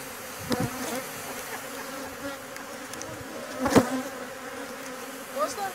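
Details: Bees at a venom collection session in Thessaloniki, Greece, on 13 October 2017: a faint, steady low buzz runs throughout, with a few sharp clicks and taps, the loudest near the end.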